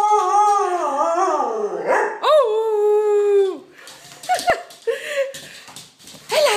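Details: Dog at play with another dog, the pair being Sasha and her best friend Topaz: long, drawn-out howling whines with wavering then steady pitch, a rising yelp-like swoop midway, then broken shorter cries and scuffling noises.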